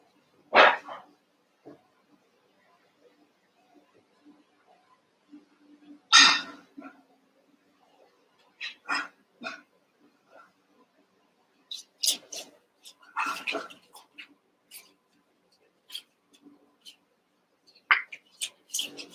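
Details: Cavalier King Charles Spaniel puppies, one month old, wrestling and playing together in a pen. Scattered sharp barks and yips come in short bursts separated by quiet gaps, a few at a time across the recording, with some soft rustling between them.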